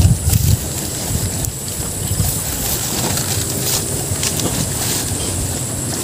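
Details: Outdoor wind buffeting the microphone, with a rumbling low roar and scattered clicks, and no animal call audible.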